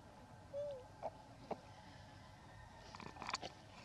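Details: Elpida, a female hybrid monkey, requesting food: one short whistled coo that dips downward, followed by a few soft clicks and taps in a quiet room.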